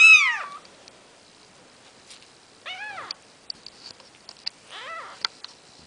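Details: Nikita's Maine Coon babies, four days old: a shrill falling squeak opens, followed after a pause by two shorter arched mews spaced about two seconds apart, with faint clicks and scratching between them.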